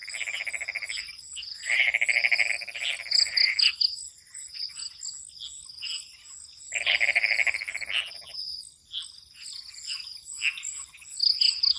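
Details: Swamp frogs at night, calling in two loud, grating croak bouts a few seconds long separated by quieter gaps, while crickets keep up a continuous high trill behind them.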